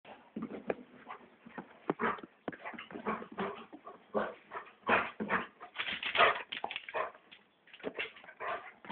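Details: Golden Labrador named Buddy, excited and running around the yard after dinner, burning off energy; dense, irregular, breathy bursts follow each other rapidly for nine seconds, with a louder cluster around the sixth second and a brief quiet gap near the end.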